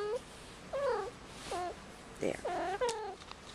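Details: Young indoor female kitten, five months old, in heat on Christmas Eve, making a series of short, wavering, nasal mewing cries, some bending upward then dipping, with brief pauses and faint room sounds between.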